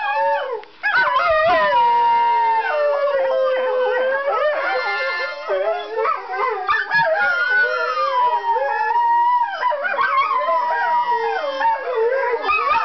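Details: Four pet greyhounds, Dr. Doug, Zippy Zappy, Spinner and Wizard, howling together in response to a harmonica, overlapping long wavering howls that slide up and down, with higher yips breaking in between.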